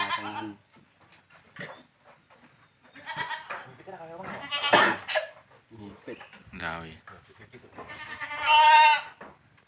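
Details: Village farm Boer goat crossing with a young goat: several wavering, nasal bleats in separate bursts, the last one loud and quavering, with people chatting between them.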